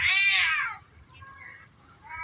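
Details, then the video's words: Two cats fighting on top of a tree, threatening each other: one loud, drawn-out, strongly harmonic meow that slides downward and fades within a second, followed by fainter wavering yowls. "Two cats are fighting on top of a tree, making a loud meowing noise. They're just threatening"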